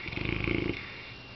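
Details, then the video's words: Sleeping Saint Bernard dog snoring while dreaming of chasing cats; a short rattling, pulsed snore fills the first half-second, then fades to quiet with a faint steady high hum. "Snoring Saint Bernard"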